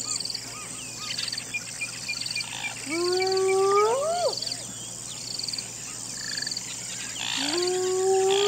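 A hyena gives long, rising whooping howls over a steady chorus of night insects.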